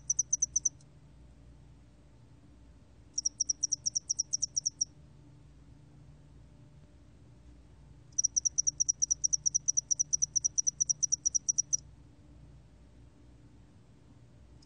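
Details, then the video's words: Spotted-wing hairy cricket recorded in 2020 for Korea's National Institute of Biological Resources: very high, thin ticking pulses in bursts of a few seconds separated by silent gaps, over a faint low steady hum. "점날개털귀뚜라미, 1번 듣기, 곤충소리"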